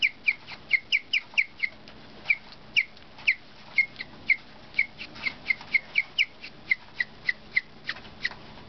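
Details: Pet guinea pig named Cookie giving a string of sharp, high chirps, about two to three each second, some in quick clusters and others spaced apart, bright and whistle-like over a quiet room.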